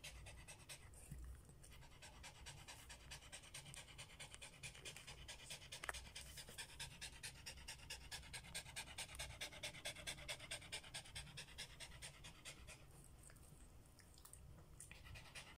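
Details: Rapid, regular panting from a Samoyed dog tired after its walk; short hissing breaths come more than twice a second without pause, with a soft low rumble beneath.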